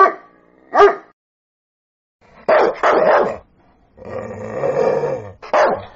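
A sprocker spaniel gives a series of sharp, harmonic barks with a few drawn-out yelping notes.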